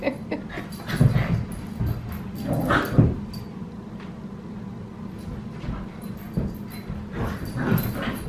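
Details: Australian Cattle Dog puppy named Sully in an indoor play session with the household's female dogs at bedtime, giving low rough growls and scuffling noises in bursts, with soft whimpers and yips mixed in.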